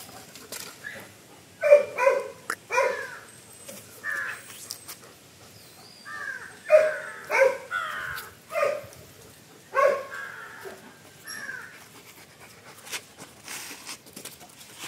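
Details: Two German Shepherds, Lucky and Pinky, playing in a backyard: clustered hoarse barks and drawn-out whining yelps in irregular bursts over the first twelve seconds, then quieter rustling and a few soft sounds.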